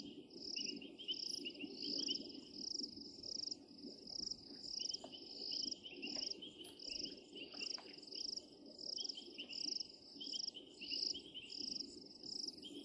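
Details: Painted reed frogs (Hyperolius marmoratus) at Djuma, recorded 16 January 2023, give short, shrill whistled chirps, repeated rapidly in an overlapping chorus; call.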